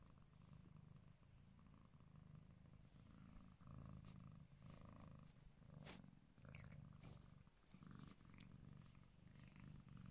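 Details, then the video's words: Kitten named Lele purring indoors while trying out a new scratch bed; steady low rumbling purr in pulsing phrases, with faint scratching and rustling on top. "kitten lele tries out a new scratch bed and purring"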